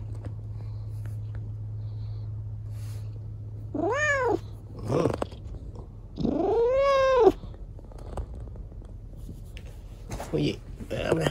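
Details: Indoors on Dad's lap, Chico, a kitten rescued after an accident that left a leg lame, gives two drawn-out arching meows about two seconds apart. A steady low hum comes before them, with light rustling and soft clicks after.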